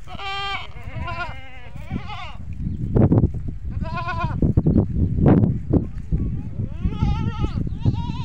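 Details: Farm goats bleating, a call that brings the kids over to the adult goats. Quavering, nasal bleats of varying length repeat through the recording, mixed with human voices and low thumping and rustling noise.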